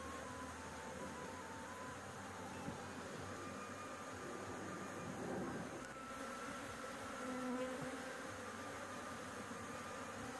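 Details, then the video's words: Roof-dwelling honey bee colony buzzing as its honey is harvested, with smoke from a cigarette blown at the bees to send them away. A steady, thick hum surges slightly twice, with a faint higher whine over it. "panen madu lebah, di atap rumah"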